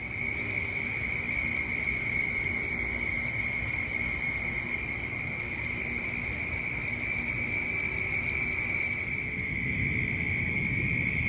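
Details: At night in suburban Orlando, a dense chorus of Southern Toads at a mass breeding event gives high, steady trills merging into one unbroken ringing drone.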